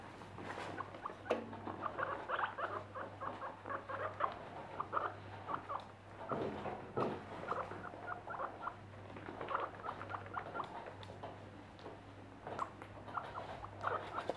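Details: Four happy pet guinea pigs give quick runs of short, tonal squeaks and chirps in clustered bursts, with pattering movement and a steady low electrical hum underneath.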